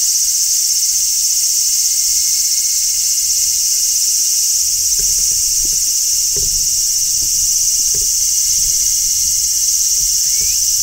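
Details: Large brown cicadas singing in summer, a constant piercing electric hiss filling the high range, accompanied by scattered faint low taps and clicks.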